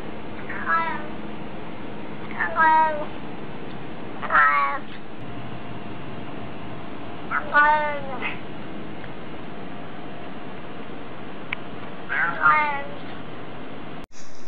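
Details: House cat saying hello: five short, bright meows spaced about two seconds apart over a steady low hum, with a brief sharp sound at the end.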